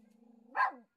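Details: Dog greeting its dad on a walking path after he returns from a week in hospital: a low droning whine rises into a single sharp bark.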